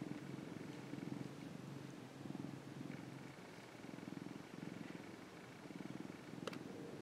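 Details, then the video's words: Affectionate orange tabby cat Mac, a rescued younger male, purrs steadily while basking in the sun; a continuous low throbbing rumble with gentle breathing rhythm, and a single sharp click near the end. "喉を鳴らし、猫キック！？ - Cute Cat Mac Purring."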